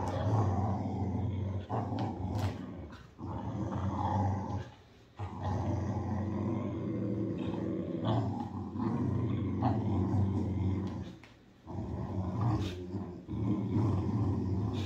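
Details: Boxer dog growling steadily while playing tug of war: a deep, rumbling, continuous growl in long stretches with brief pauses near five and eleven seconds.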